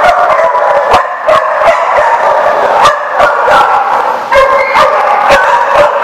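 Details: Dogs barking at The Barking Lot on 7 July 2014; many sharp, overlapping barks come roughly every half second over a steady din of more distant barking.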